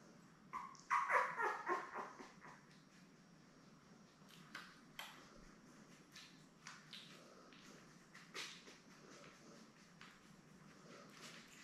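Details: Newborn Labrador Retriever puppies, a litter of seven born May 24, 2021, with their mother Belle on a puppy cam on June 3; a burst of high, harmonic squeaky whimpers early on, then scattered soft squeaks and rustling clicks.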